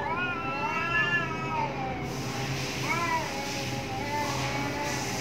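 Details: Fighting cats behind a home: quieter wavering yowls, one long and one shorter rising-falling wail, partly masked by broadband noise and a low hum.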